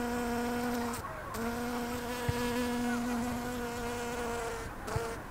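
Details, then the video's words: Exceptionally loud bee recorded 10 September 2020. A continuous low, rich droning buzz with a few brief breaks and small clicks, dominating the recording. "The LOUDEST bee"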